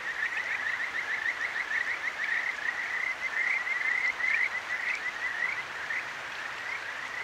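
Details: Chorus of Kajika frogs from a nighttime stream in Akigawa Valley, Tokyo, ZOOM H6 recording: a rippling series of short rising whistled chirps, several frogs overlapping, one or two brief clicks, all set against the soft rush of water.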